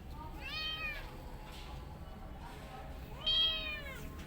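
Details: Domestic cat in a family of a mother cat and her kittens: two high, drawn-out meows, each rising then falling and lasting about half a second, roughly three seconds apart, over a quiet low background hum indoors.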